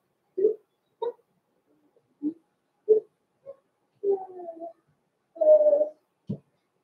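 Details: Young blenheim Cavalier King Charles Spaniel puppies from a small litter, born November 14, 2022, in an indoor puppy pen: a string of six short squeaky yips about a second apart, then two longer flat whines and a final low grunt.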